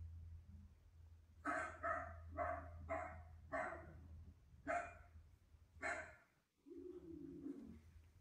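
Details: Pet Miniature Dachshund in Auckland, New Zealand, reacting to the television with a run of loud, clipped barks roughly once a second, then a pause and a lower, drawn-out sound, all over a constant low hum.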